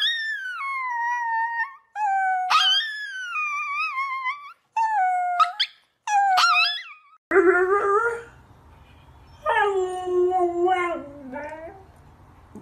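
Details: Dogs howling indoors. Several high, drawn-out howls bend and waver, with brief gaps between them. A lower, fuller howl then follows, rising and falling before it trails off over a faint steady hum.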